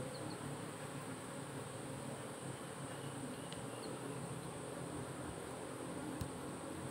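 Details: A managed honey bee colony drones steadily as its second frame is taken out, the low buzzing hum even and unbroken, with a couple of faint clicks and one sharp tap.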